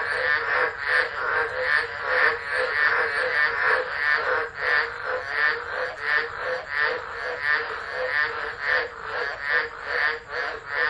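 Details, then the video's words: Tropical frogs chorusing during a Tropical Low at Driver, Northern Territory, Australia, 13 December 2013, recorded on a phone left unattended: a dense, throbbing wall of overlapping croaks pulsing in rapid waves, many callers at once. "Tropical Storm Frogs Singing"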